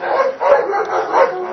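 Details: Dobermann at a Hungarian breeding test and Schutzhund protection training, giving a short burst of loud, harsh barks that run together in under two seconds.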